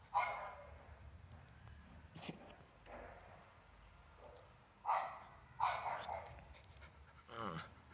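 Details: Swiss Shepherd puppy, also called Berger Blanc Suisse, playing with a cat indoors; several short yappy barks and yips in bursts, a pair near five and six seconds and a lower growly one near the end, with faint background noise.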